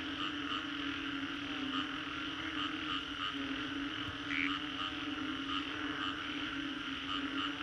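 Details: Post-storm frog chorus from the Green Corridor in Singapore, recorded in 3D: a constant hum underlies busy rhythmic pulsing, with one louder chirp standing out near the middle among many overlapping callers.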